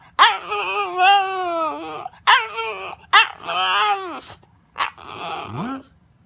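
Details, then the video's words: Dog 'talking' in a drawn-out, wavering whine: three long harmonic moaning howls of about one to two seconds each, bending up and down in pitch, then a short yip and a final rising whine, in a quiet indoor setting. "หมาพูดได้ ดูไปมึนไป Funny Dog Talking"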